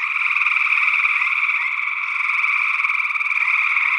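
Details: Gray tree frogs calling in Northwest Wisconsin in early June 2022, captured with a matched pair of small condenser microphones in ORTF. A dense, continuous chorus of overlapping pulsed trills fills the clip steadily, with no pauses.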